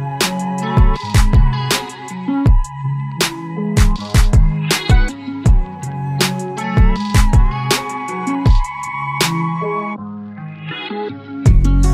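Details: Upbeat hip hop style music with a steady thumping beat, deep bass and a sustained synth tone; no animal voice can be picked out.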